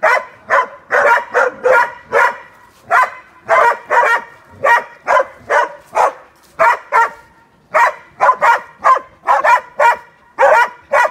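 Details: Two hunting dogs being trained on wild boar; steady run of loud, rough barks, about two to three each second, some doubled in quick pairs, with brief gaps and no other sounds.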